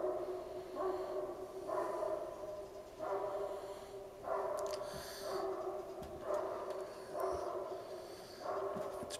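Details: At 8am on 30 November 2010, two large Great Pyrenees dogs guarding an alpaca herd bark deeply and distantly about once a second, apparently unprovoked, with no vehicles or people around.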